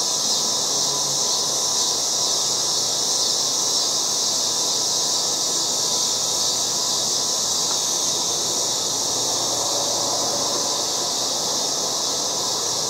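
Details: Loud August cicadas in a yard fill the air with a steady, high, hissing drone that never lets up.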